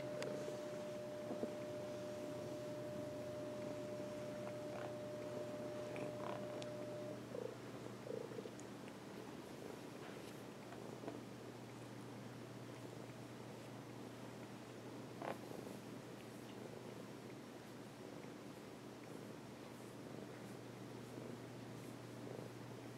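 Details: Cat lying on its owner's lap gives a long, even, low purr that pulses rhythmically and never breaks, with a faint steady tone early on and occasional soft clicks.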